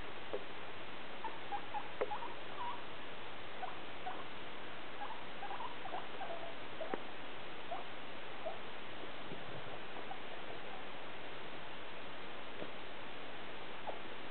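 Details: Two guinea pigs, newly introduced to each other in a playpen, hunt for cucumber: faint high squeaks and chirps come and go over a steady bed of rustling and pattering.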